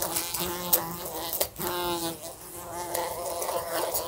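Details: Housebound fly circling a lamp and bumping into it: continuous droning buzz with rich overtones, swelling and dipping, a brief lull midway, and scattered clicks from collisions.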